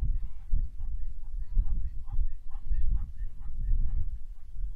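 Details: On the shortgrass plains of Ndutu, Serengeti, Tanzania, in February 2024, a wildebeest herd gives rapid nasal honks. The calls overlap into a dense, pulsing chorus, loudest in the middle, over low rumble.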